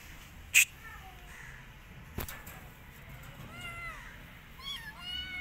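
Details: A rescued street kitten that won't eat and wants to return outdoors mews repeatedly in thin arched calls, bunched in the second half, after two loud knocks early on.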